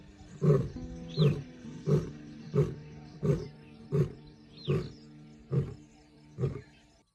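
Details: Lion recorded in South Africa's Timbavati Private Nature Reserve during January 2025 gives a regular run of low, throaty grunts. About nine grunts come evenly spaced and fade toward the end, with sustained music tones beneath them.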